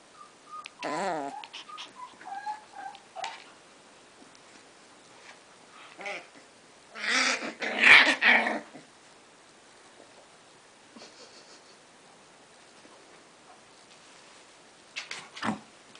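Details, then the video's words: Scottish terrier mother disciplining her puppy indoors, with a high wavering whine early on, a harsh burst of growling and snarling near the middle, and short yips toward the end. "Scottish terrier mom raising a child"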